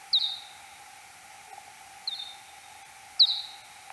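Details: Kuhl's pipistrelle search-phase echolocation calls, time-expanded ten times, recorded 6 July 2022 at 03:59: three short steep downward sweeps, each easing into a flat tail, spaced about a second apart over a steady background hum.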